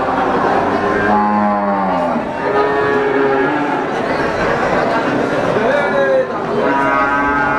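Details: Brahman breeding cows at Sumberlawang cattle market in Sragen, 2018: a low moo, then a higher drawn call and a short rising one later, overlapping with other cattle and steady crowd noise.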